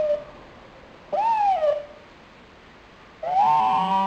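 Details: Lonely nine-month-old pet dog Pochi, recorded February 12, 2007, gives two separate whining cries: a short one that swoops up then slides down, and a second rising cry after a quiet gap.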